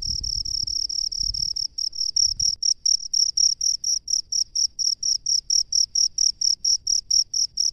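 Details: Shrill cricket in a rice field: a steady high trill opens, then breaks into crisp separate chirps repeated roughly three to four times a second; low thumping noises sound early on.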